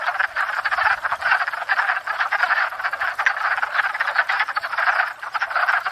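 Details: Many wood frogs calling together at a pond in spring, courting and breeding after thawing out; hoarse chuckling croaks overlap into a pulsing, rattling racket that swells and dips slightly.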